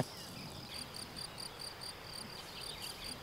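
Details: Field crickets in a marsh nature area in the Netherlands, in August, chirp in short, regular pulses, a bright high trill repeated several times a second; they fall silent when approached.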